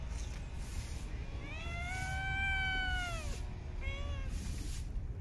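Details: Street cat in a park during feeding gives one long, arched meow lasting nearly two seconds, then a short second meow, over a low steady background rumble.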